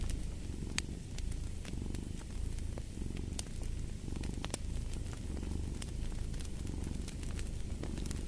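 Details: Continuous low purring from a cat, rising and falling in soft rhythmic waves about once a second, with scattered crackles from a wood fire.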